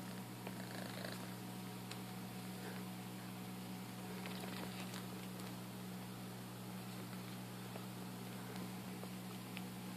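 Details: Domestic cat, one of two cats together with a hand near them indoors, purring: a steady low rumbling drone holding evenly for the full ten seconds, with faint rustles and soft clicks on top.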